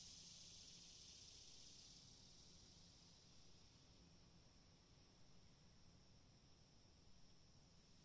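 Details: Cicadas give a steady, high, hissing buzz that starts loudest and slowly fades over several seconds, with a constant low background hum beneath.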